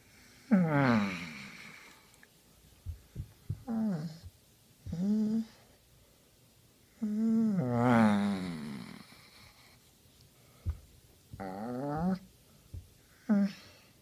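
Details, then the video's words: Henry, a Basset Hound enjoying a scratch in just the right spot, groans and moans in a quiet room; short wavering vocal bursts and longer rising-falling whines repeat every second or two, with snorting breaths between. "Funny Basset Hound Noises"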